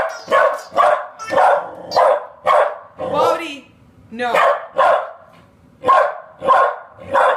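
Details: Puppy Bodhi confronting a new noisy toy ball, barking in a rapid, steady series of about ten sharp barks, with a brief yelping whine in the middle and a pause before the barking resumes.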